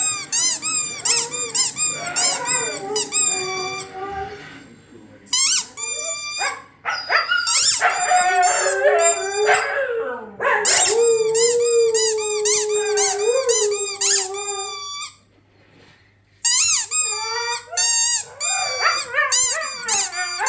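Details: Siberian Huskies howl in long, wavering tones, set off by the rapid squeaks of their squeaky toy, which has been making them howl lately.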